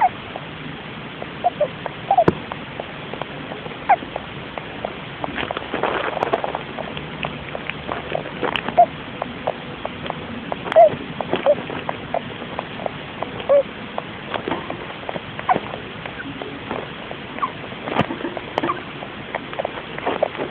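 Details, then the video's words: A pet Russian dwarf hamster named Logie Bear, asleep in his little house inside his cage, recorded by phone; faint tiny squeaks and soft clicks scattered irregularly through the recording over a steady background hiss. "My Russian dwarfhamster Logie Bear making cute sounds when he sleeps"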